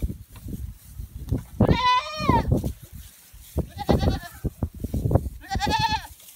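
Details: Female pygmy goat at a petting zoo, playing and hopping onto sheep; loud wavering bleats near two, four and six seconds, each with a harmonic, slightly falling tone, over rustling and thumping movement noise.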